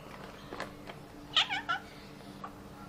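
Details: Pregnant orange classic tabby cat, described as very greedy, gives a short burst of rising and falling meows over faint background clatter.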